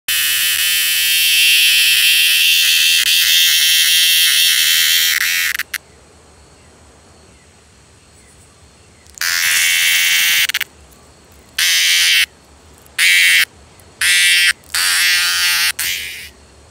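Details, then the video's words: Brown cicada screaming: a loud harsh buzzing burst of about six seconds, then after a pause a series of shorter raspy buzzes of under a second to a second and a half, separated by silent gaps. "Brown Cicada screams"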